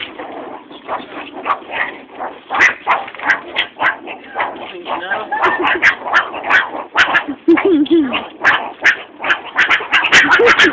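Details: Captive meerkats at a college, fed mealworms in tubes, growl and bark as they feed: rapid, harsh, irregular short barks and chattering growls, about two per second, with people talking and plastic containers rattling.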